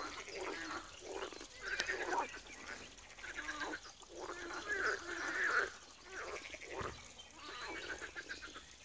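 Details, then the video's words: Pond frogs at Wiry, Poland, croak in a dense chorus: repeated harsh, quacking, pulsed calls come in blocks of about a second, one group after another, with the many callers overlapping. "Żabi stawek, kumkanie, rechot żab"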